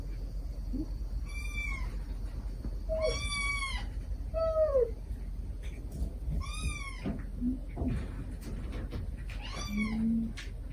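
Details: A stray mother cat calls her kittens gently while the kittens answer in sweet, affectionate voices. Five drawn-out harmonic meows, several falling at the end, come one to three seconds apart over a low background rumble.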